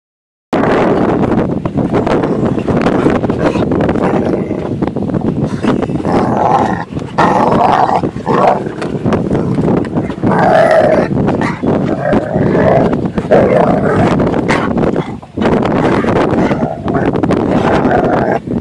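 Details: Dog throwing a tantrum on a boat when it is time to leave the water and go home: loud, continuous whining and howling with wavering tones, broken by brief gaps, plus boat and outdoor noise.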